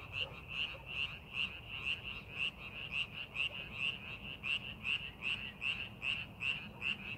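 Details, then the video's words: A frog in a rice paddy during farming preparation gives crisp, evenly spaced croaks, roughly two per second, standing out over a softer chorus of other frogs and low background noise. "농사준비하는 논에서 개구리 울음소리"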